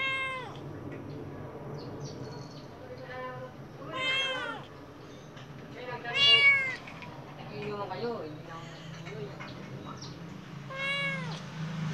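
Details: Khao Manee cat, golden-eyed, watching the outside world, utters a run of frequent meows, short and longer, several with a sharp rising-falling arc, the loudest near the middle, above a faint steady hum.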